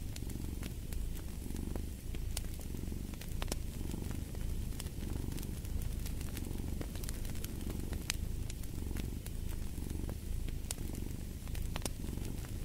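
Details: Low, vibrating cat purr with a steady rhythm of inhale and exhale swells, set against the popping and crackling of an open fire.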